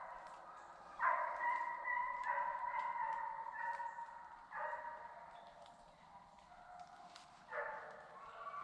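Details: A pack of hunting hounds bays in long, drawn-out bawls while running deer on a 2021 South Carolina deer dog drive.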